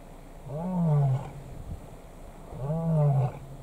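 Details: In Kruger National Park, South Africa, three large male lions contest one lioness; two deep, drawn-out roaring moans, each under a second, rich in harmonics and slightly falling, separated by a short pause.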